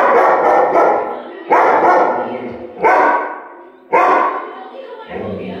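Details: German Shepherd Yuvi barking at a clock: a series of five loud, harsh barks roughly one second apart, each starting abruptly and trailing off, the last one lower and rougher.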